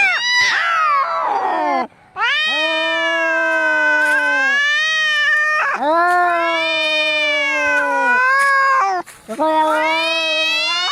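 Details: Angry cats fighting: long drawn-out wailing yowls that rise and waver, interrupted by brief silences near 2 and 9 seconds, with a sharp squeal at the start.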